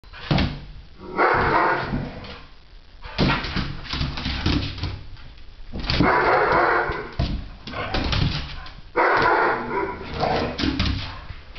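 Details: Cheddar, a young white American Pit Bull Terrier foster dog from a Cincinnati, Ohio area rescue, playing indoors with another dog, Fly: loud rough growls and snarling barks in repeated bursts of one to two seconds.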